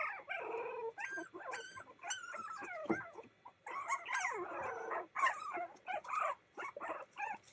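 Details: Boston Terrier puppies playing together, giving a busy run of high yips, squeaky whines and short barks, many overlapping, with scuffling between calls.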